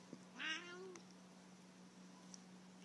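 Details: Siamese cat trying Cheddar cheese for the first time, giving a single drawn-out meow lasting about half a second, rising then level with bright harmonics; a steady low hum runs underneath and a person calls the cat before and after.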